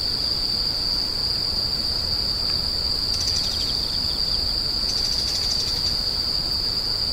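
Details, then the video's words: Insects screeching, a continuous piercing high tone unwavering from start to end, joined by two bursts of rapid pulsed trilling near the middle and later on, with faint low background hiss. "The sound of insects crying"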